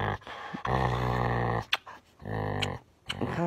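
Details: Deep, rumbling growl from an angry dog, held for about a second, breaking off, then resuming in a second long snarl, with a short sharp sound between.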